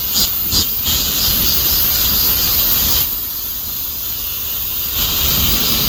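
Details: High, sizzling cicada drone held throughout, with a few pulsing throbs at the start, a brief louder surge midway, and a low rumble underneath.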